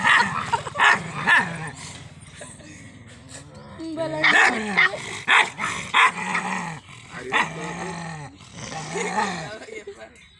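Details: Pandikona puppy during a courage test: rough, noisy growling and short bark bursts in clusters, with people talking and laughing over it throughout.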